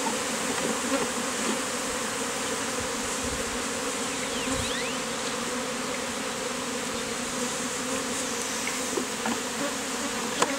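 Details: Honey bee beard, bees taken from a hive inside a statue and massed on a man's chin: unbroken, even buzzing drone with layered low tones and occasional faint thuds.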